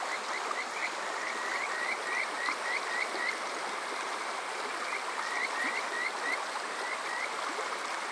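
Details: Kajika frogs calling on a summer night at Yokoze, Chichibu District, Saitama, Japan, recorded with a TASCAM DR-05X: rising whistled notes in quick runs of many, pausing, then resuming, over a steady rushing stream.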